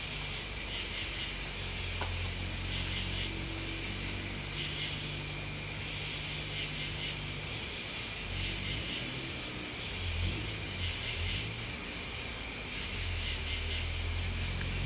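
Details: Chorus of crickets and bugs: a steady high buzzing drone with brief bright pulses repeating roughly every two seconds, while a low rumbling murmur runs underneath throughout.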